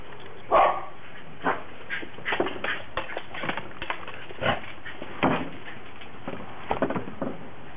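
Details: Japanese Spitz dogs romping excitedly in snow in Tennessee, 2009; short scattered yips and whimpers at irregular intervals over steady background rustle.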